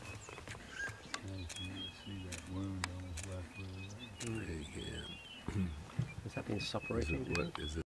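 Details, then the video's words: Lions mating at MalaMala, outdoors: a run of deep, pulsing growl-grunts, roughly a dozen rhythmic low pulses over several seconds, with insects buzzing and birds calling in the background and people talking quietly. "Lions mating"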